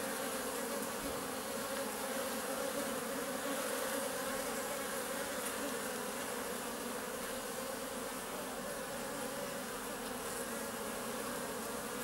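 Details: Honey bees seen close up make a steady, dense buzz, a low droning hum of many wings, as the first bumblebees of the season appear.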